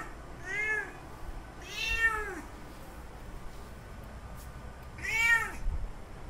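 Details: Three loud, wavering meows from a male cat calling a female in heat to mate, each arching up and down in pitch, the last after a pause of nearly three seconds, against quiet low background hum.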